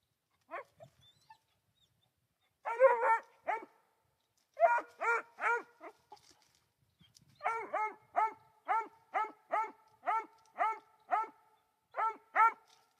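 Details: Young Black and Tan coonhound pup Dazey, three months old, set up on a tree holding a raccoon and barking at it. Bursts of clear, rising-falling barks settle into a steady run, one about every half second.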